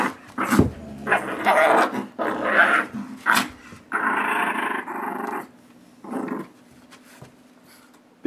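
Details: Two dogs in a tug-of-war over a rope, a 9-month-old blue Doberman and a small Shih Tzu Yorkie mix; rough growls and scuffling bursts come in uneven runs, with a person's laughter and background music.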